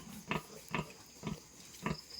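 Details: At a farm with a freshly born litter of piglets, a pig gives four short, breathy grunts spaced about half a second apart against a steady background hiss.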